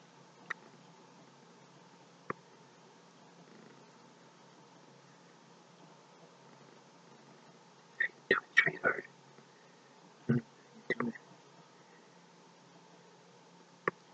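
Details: Domestic cat being stroked into slumber purrs in a soft, steady low hum that runs through the whole stretch, with brief whispered human words and a few sharp clicks over it in a small quiet room.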